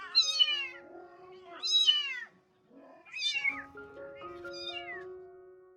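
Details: Mother cat, rescued from the street, with her kittens around her spay surgery: four loud, high, slightly wavering meows about every one and a half seconds, with quiet piano notes underneath.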